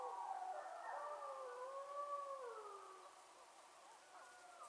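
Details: Wolves in the wild Yukon, recorded on a trail cam, howling as a group: several long gliding voices overlap, one dipping low and rising again while others waver higher, steady throughout.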